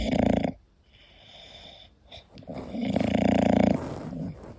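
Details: Koda, an English Bulldog, asleep and snoring: a loud, rough, buzzing snore in the first half-second, a quiet pause with faint breathing, then a longer rasping snore of nearly a second.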